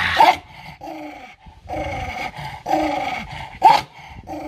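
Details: Angry domestic dog growling aggressively while fighting over food: short harsh growl bursts with a couple of louder snarling peaks, separated by brief pauses.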